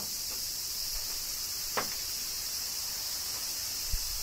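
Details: Japanese cicadas during a summer rain in Kyoto: a constant shrill drone with two distinct drip-like taps, one near the middle and one at the end.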